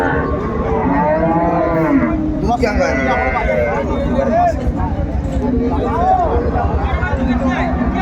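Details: At Ambari Hat market in Dinajpur, Bangladesh, January 17, 2025, a cow with her calf is heard in brief, higher arched moos repeated a few times amid dense crowd voices and haggling.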